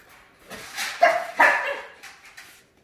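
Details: Havanese Maltese mix dog recovering after neutering, giving a few short whiny yelps and whimpers over under three seconds, with room noise around them.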